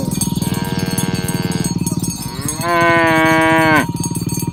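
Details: Morning herding of tame cows toward the pen, mooing to gather companions: two long, even harmonic moos, the second louder and ending in a downward slur, over a rapid rhythmic pulsing background.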